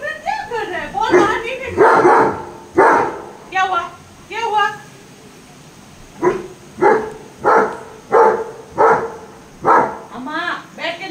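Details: German Shepherd barking while the household watches the rain, a woman coaxing it in Hindi at first, then loud, deep single barks repeated about every seven-tenths of a second in a steady run.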